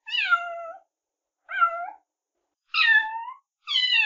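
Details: Domestic cat meowing: four separate meows with pauses between, the first long and falling, the second short, the third rising then dropping, the last cut off, each clear and nasal against silence.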